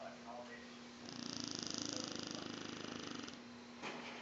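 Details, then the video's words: Domestic dog asleep indoors, snoring in a fast rhythmic pulse of short breathy rasps, roughly three per second, for about two seconds, with a steady background hum throughout. "Dog snoring"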